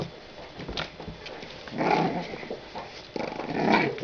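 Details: A French Bulldog puppy, one of two 45-day-old females born 23 December 2011, gives two gruff, breathy growls about a second apart, the second longer and stronger. Light rustling fills the gaps.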